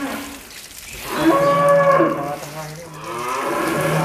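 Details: Angus bull Real Douglass, billed as the largest in Indonesia, kept in a shed and bathed; a low drawn-out moo swells after a quiet start and holds steady for about two seconds, then fades, with faint talk and water sounds.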